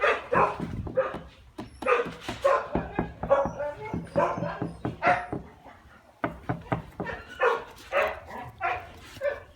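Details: Shiba Inu voicing a rapid series of short barks and yips, bursts coming roughly every half second with brief pauses, some human speech mixed in.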